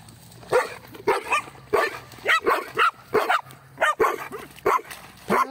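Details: A mixed-breed dog and a Pitbull playing, fetching a stone on a Sunday outing; repeated sharp barks about every half second, with people talking and calling in the background.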